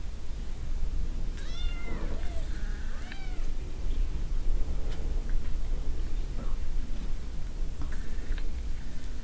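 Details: Cat and kittens near jackrabbits, giving a few brief arching meows in quick succession early on, then quieter faint mews, all over constant low-pitched background rumble.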